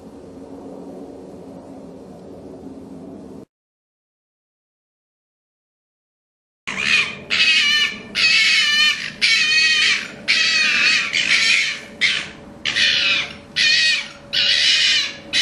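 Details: A red fox, possibly one of the orphaned cubs kept in a pen before being returned to the wild, gives harsh, raspy screeching bursts roughly once a second.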